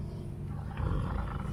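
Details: An elderly female white tiger at a big cat rescue gives a deep, rumbling roar that swells partway through, voicing displeasure at food offered while refusing chicken necks.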